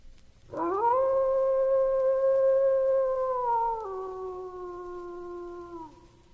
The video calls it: WOLF HOWL/オオカミの遠吠え / animal sounds